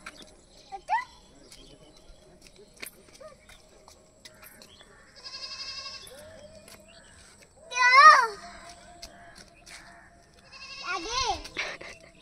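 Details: Domestic goats herded in the open by a young girl who runs after them: two loud, quavering, wavering bleats, one midway and one near the end, with a child's voice calling and faint background chatter between them.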